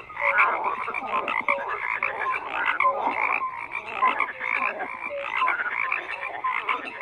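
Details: Many frogs croak together in a steady, crowded chorus, grating pulses mixed with brief whistled tones that repeat irregularly throughout.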